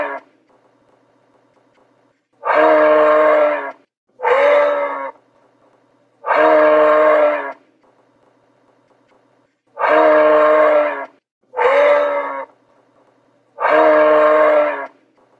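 A moose gives drawn-out, nasal, moaning calls, each about a second long, with pauses between them.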